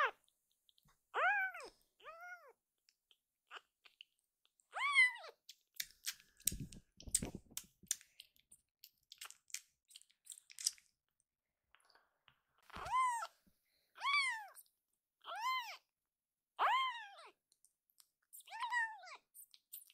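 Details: Akuro, a rescued baby kitten in foster care, crying loudly indoors: a string of arched, high meows in bursts, with soft tapping and clicking noises filling a quieter stretch in the middle.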